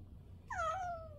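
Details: Stray cat, one of two black-and-white sibling strays, Kotdeungi and Kkamangi, born in 2023 to the same mother and coming daily to be fed anchovies; one drawn-out meow that starts high, bends, then slides steadily downward over a quiet room hum.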